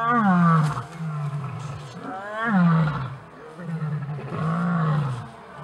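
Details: A lion, leader of its pride, keeping order in the evening: three long, deep, moaning roars, each sliding downward at the start and then holding a low, rumbling drone.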